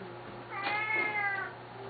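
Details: Hungry Siamese cat, one of a pair, calling at feeding time indoors: one long, slightly rising then falling meow of about one second, with a person speaking softly nearby.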